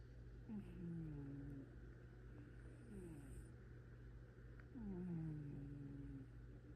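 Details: Sleeping cat's quiet snores: low, faintly whistled descending tones repeated roughly every two seconds in time with its breathing, over a constant low hum.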